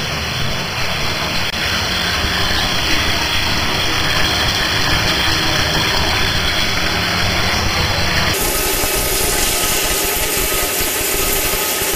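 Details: Loud steady motor-like roar, such as running water or an appliance, that changes tone partway through; no animal voice is heard.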